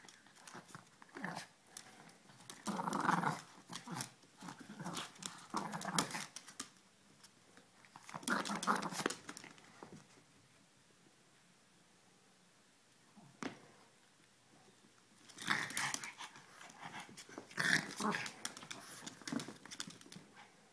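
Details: Puppies Ella and Duke at play: clusters of gruff growling and snarly yips come in several loud spells, separated by a long quiet stretch with a single sharp click near the middle.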